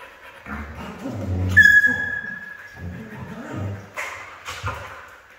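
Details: Red female Siberian husky giving a high, thin, steady whine, then short low whimpering grunts and yips repeated several times in a quiet room.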